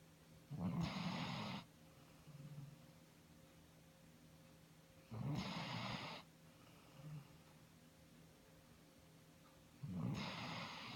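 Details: Iggy the dog snoring on 19 March 2017: three deep rasping snores roughly every four to five seconds, each a harsh low inhale, with faint softer exhales between.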